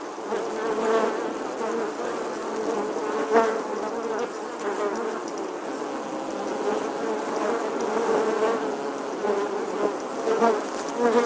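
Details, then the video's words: A steady, droning buzz of bees in summer, humming low and continuous with slight swells in loudness. "Bee Buzzing Sounds"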